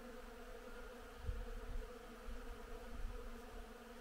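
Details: Honey bees working blooming willow in spring make a steady, droning hum of many bees buzzing together, with a few low rumbles.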